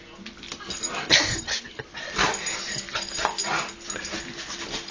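A Rottweiler gives sharp, excited barks and yips in quick bursts while a person talks nearby.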